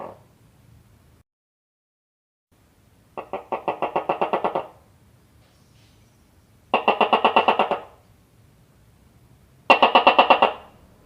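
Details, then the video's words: Gecko giving rapid chuckling chirp series: three bursts of about ten quick, evenly spaced clicky pulses, each burst lasting about a second, separated by pauses of two to three seconds in a quiet indoor space. "Gecko Making Sound"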